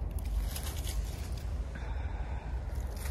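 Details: Only a faint, low rumbling background with soft scraping and handling noises is heard, with no animal call.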